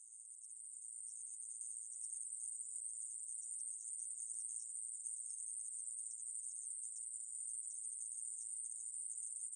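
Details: Aemaebuli grasshopper, recorded in 2020: an unbroken, very high, hissing buzz that holds at a steady pitch throughout and swells slightly in the first two seconds. No other sounds.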